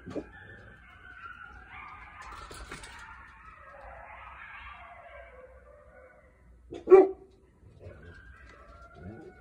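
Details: Distant coyote (Canis latrans) howls at night: thin, wavering high notes sliding up and down, then a sudden sharp bark-like cry.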